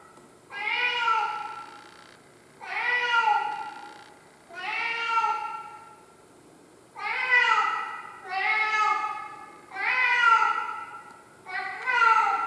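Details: Pet cat crying indoors: long, wailing meows that rise then fall, each about a second long, repeated roughly every one and a half to two seconds, seven cries in a row with short quiet gaps.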